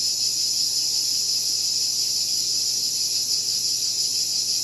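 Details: A steady, loud, high-pitched buzzing drone of cicadas, unbroken and evenly pulsed, with only a faint low hum beneath.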